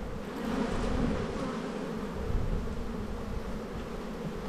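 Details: Short stretch of honey bee hum from a hive inspection during the Australian spring buildup: a steady, low, slightly rough buzzing drone with soft background rumble.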